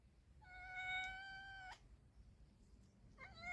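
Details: During mating between a male cat and a pregnant female, one long level meow lasts over a second, then a second meow begins after a pause, over faint low hum.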